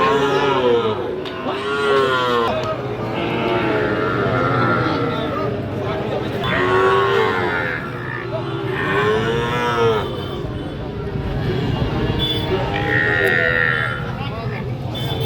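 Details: Sahiwal cattle, bulls and calves, for sale at Ambari market in Dinajpur district; several separate moos, rising and falling arches repeated every couple of seconds, amid men bargaining and constant crowd chatter.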